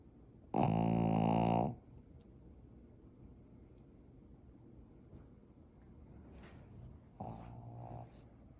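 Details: A Pekingese dog dozing and snoring: a loud, rough, rattling snore lasting about a second, a long quiet pause with faint breathing, then a second, softer buzzing snore.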